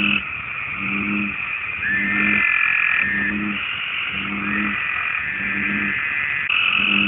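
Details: American bullfrog mating call, a common amphibian of the United States, played on a loop: deep, low, harmonic croaking notes repeated about every 0.8 seconds, over a steady, higher-pitched buzzing chorus in the background.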